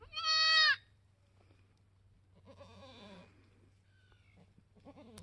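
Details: Mini Alpine goat kid born on a homestead on March 13, 2021, while the doe is still in labor; one clear loud bleat at the start, then softer quavering bleats over a low steady hum.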